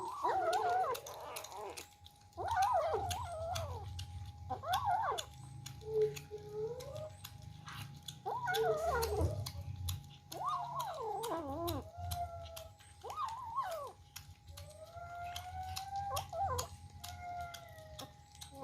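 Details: Kittens fighting over food during their first feeding, repeated short, wavering mews every second or two, some bending sharply up and down, with later thinner, steadier cries, plus low rumbling handling noise and clicks.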